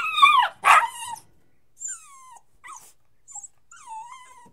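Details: Whining puppy: two loud, strained cries at the start, then softer high whimpers that glide downward, spaced by short silences.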